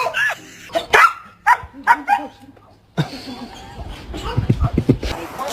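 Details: Belgian Malinois, shown in a funny moment about being on the bed, gives a wavering, moaning whine in short bursts. Clear human speech comes before and after, with rustling and music at the end.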